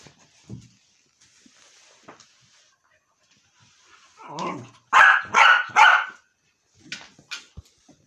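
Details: Jack, a dog annoying his mother, gives a low grumbling whine, then three loud, sharp barks in quick succession, followed by a couple of softer short yaps in a quiet indoor setting.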